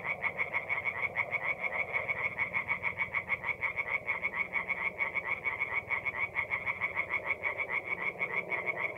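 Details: Tree frogs singing at night in a forest pond in mid-April, North-East Italy; a dense chorus of rapid, evenly pulsed, high nasal croaks repeating steadily, with several overlapping callers and no other clear sounds.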